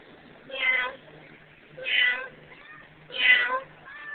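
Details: Emo, a female pet cat, meows in a duet with her owner, their last before she is given away: three harmonic meows, each under half a second, spaced about 1.3 seconds apart in a quiet indoor setting.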